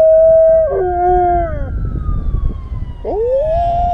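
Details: German Shepherd howling along with a siren: a high steady note drops to a lower pitch, then breaks off. A thin siren tone glides slowly downward in the background, and the dog returns with a rising, scooping howl.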